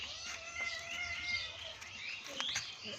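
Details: Domestic cats meow insistently with drawn-out, wavering cries, frantic to be fed while food is being given to another cat; another one keeps yelling nearby.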